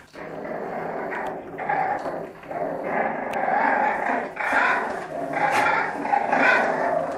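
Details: French Bulldog during play fighting, giving loud, continuous rumbling growls in long rising and falling bursts, broken by short snorting pauses roughly once a second across seven seconds.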